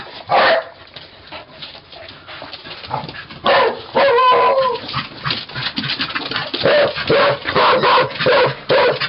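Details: Cardigan and Pembroke Welsh corgis recorded on 13 May 2011, loud clipped barks coming in quick irregular bursts, mixed with higher yips and a short whining note.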